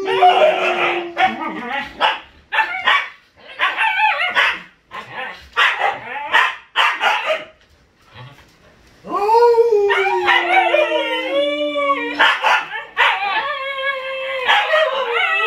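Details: Siberian Huskies, a group including puppies, howling: broken yips and short wavering cries, then a long sliding howl falling steadily over about three seconds, followed by overlapping higher wavering howls.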